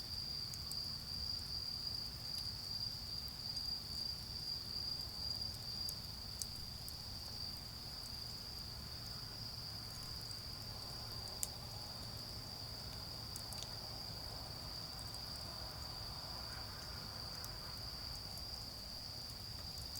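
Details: Autumn insects calling on an autumn night beside a garden bonfire: a steady, high, ringing trill that pulses briefly at first and then holds unbroken, with sharp crackles from the fire and a low background rumble.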